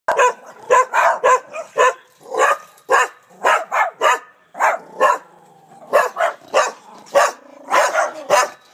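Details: Dogs barking in rapid, irregular bursts of short sharp barks, about two per second, continuing throughout with brief pauses.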